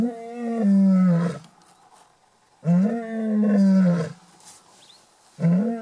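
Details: Lion at Shamwari, Port Elizabeth, South Africa, roaring loud and close on safari: powerful low moaning roars, each over a second long, repeated roughly every three seconds, with a third just beginning at the end.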